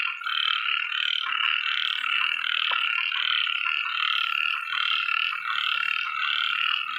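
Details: A small male frog in a rice field after rain, hidden in a grass clump and apparently calling to attract a female, gives a steady, buzzy, rapidly pulsed call that runs on without pause.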